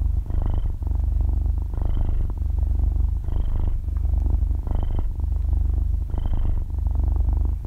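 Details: Half-year-old kitten purring while asleep indoors, recorded very close in stereo: a steady low rumbling purr with pulsing breaths roughly every 1.5 seconds, five breath cycles, no talking or music.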